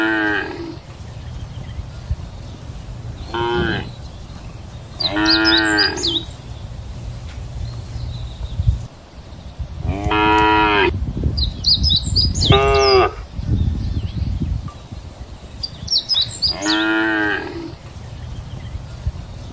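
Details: Friendly cows grazing together in a wide field give several loud, drawn-out moos, each a rich harmonic bellow lasting about a second.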